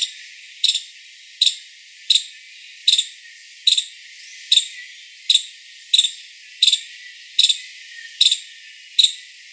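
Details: Five-striped palm squirrel giving a run of about twelve bright, high chirps, each clipped and evenly spaced nearly a second apart, with little else audible.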